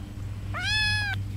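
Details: Four-week-old 34% F2 Savannah kitten giving a single clear meow of about half a second: a quick upward slide into a bright, steady, harmonic-rich tone that ends abruptly, over a faint low hum.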